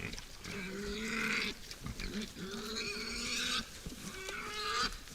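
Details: Wild boar feeding at night at a forest feeder: three long, whining squeals, each about a second or more, steady in pitch with a slight rise, separated by brief gaps filled with rustling.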